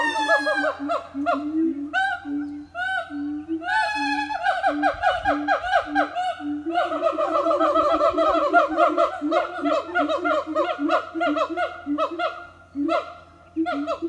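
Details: Siamang family singing in the morning at an eco-tourism organic farm; rapid repeated whooping notes with strongly harmonic hoots, swelling into fast barking sequences and overlapping voices throughout.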